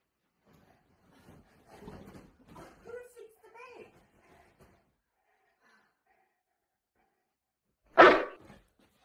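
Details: Boerboel named Molly, playful indoors after stealing a bed. A man's quiet scolding talk comes first, then silence, then one loud, sharp single bark near the end.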